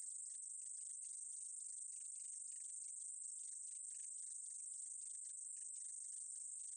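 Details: Steady, high, hissing drone of a meadow katydid from a 2020 National Institute of Biological Resources recording, unbroken from start to finish, with a light crackle of rapid ticks underneath; nothing else is heard.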